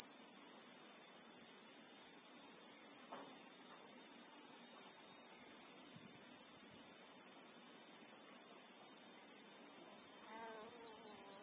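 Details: Constant high-pitched insect buzz from Christmas beetles (Anoplognathus) among acacia trees in South African bushveld, recorded in real time; near the end a faint, wavering, descending call sounds beneath the unbroken drone.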